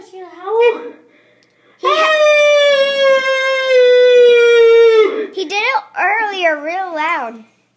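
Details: Dog howls to a music box, opening with a short wavering whine, then holding one long, steady howl for about three seconds before breaking into quick, warbling, up-and-down yodels.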